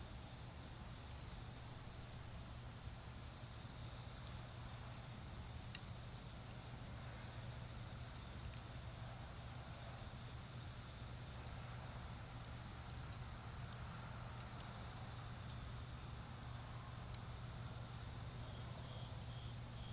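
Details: Autumn night insects trilling in a garden while a bonfire burns. The thin, high, sustained note stays level, punctuated by sharp pops from the fire and a steady low hum.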